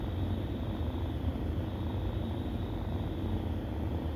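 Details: Kittens feeding from their mother, heard as a continuous deep rumbling purr, even in level and unbroken throughout, over a faint steady hiss.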